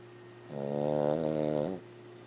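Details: Sleeping 14-year-old female Lhasa Apso snoring loudly indoors; a single drawn-out, droning, buzzy snore of just over a second, steady and even, over a low constant hum.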